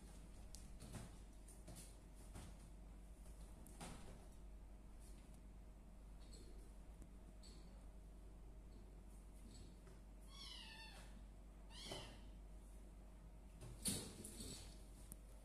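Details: Kittens about one month old, three in a litter of village and Persian cats, give a short high meow sliding downward near the eleventh second, then a fainter second cry; soft clatter and handling noises fill the rest.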